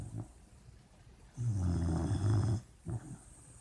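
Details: Puppy snoring while it dreams in its sleep: one drawn-out, low, grating snore, then a short snort and soft breaths.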